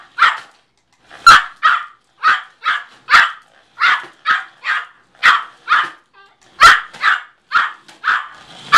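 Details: Yorkshire Terrier Midas Muffler, a one-year-old 4.5-pound family dog, chasing a car with an unbroken string of high, clipped yaps about twice per second, a short pause near the middle, then more barking.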